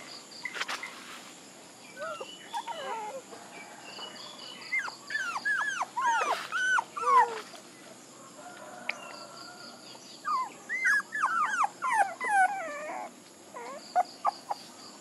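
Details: Puppies whining and yelping, a stream of short high arched whimpers, some rising and falling, overlapping from several pups in irregular bursts, with quieter gaps between runs.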